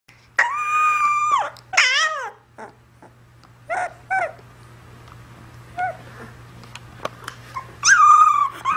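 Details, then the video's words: Puppy whimpering in a small indoor room: high, drawn-out whines, some wavering and falling, come in bursts separated by quiet gaps, with brief yelps between them and a steady low hum underneath. "Cute puppy / Милый щенок"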